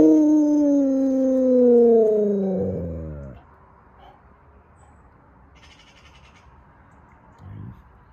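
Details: Alaskan Malamute vocalizing in its "speaking" manner: a loud, drawn-out moaning howl lasting about three seconds that slides steadily downward in pitch and breaks off into a rough grumble, followed by a faint short sound.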